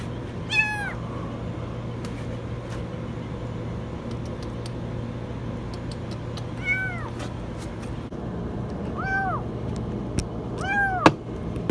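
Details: Kitten stuck in a washing machine giving four high, arched meows spread out with long pauses, over a loud constant low hum and scattered clicks.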